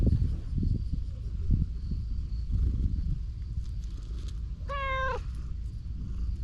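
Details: Stray cat at a fishing harbour, calm and affectionate while being petted, gives one clear, tonal meow about half a second long, slightly falling at the end, over steady low outdoor rumble and soft rustling.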